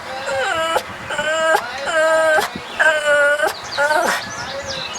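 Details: A dog makes a scary-sounding, drawn-out moaning call in repeated wavering tones, roughly one per second, each sliding slightly in pitch, over a steady background hiss.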